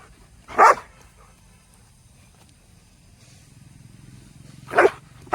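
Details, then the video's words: Angry dog barking: a single sharp, harsh bark, then about four seconds of near silence before another loud bark, with a third bark cut off at the end; faint low rumble in the background. "dog voice sound angry"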